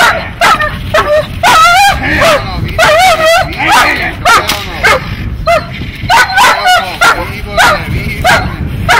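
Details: Dog in protection training giving rapid excited barks and whining yelps, some rising and falling, roughly one and a half per second, with people talking behind.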